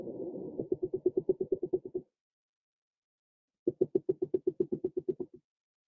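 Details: Haddock recorded underwater producing rapid trains of low knocking pulses, likened to a knock on a door or a woodpecker, that speed up into a rattling, drumming burst.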